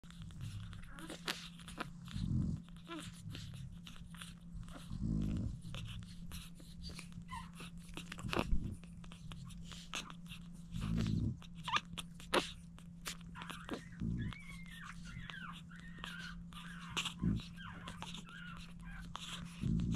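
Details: Seven French Bulldog puppies fed by their mother Dooney give soft, high squeaks and whimpers amid wet smacking and bumping feeding noises, over a steady low electrical hum.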